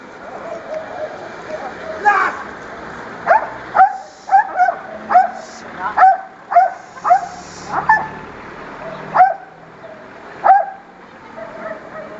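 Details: Belgian Malinois in attack training in Tunisia, giving a loose series of sharp, loud barks, about a dozen over twelve seconds, roughly one every second with some short gaps; a low background murmur runs underneath.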